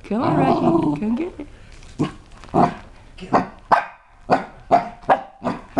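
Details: A young Chihuahua–Cocker Spaniel cross named Rocky, seven months old, scared of a new toy, gives a string of clipped barks roughly every half second after a stretch of human talk at the start.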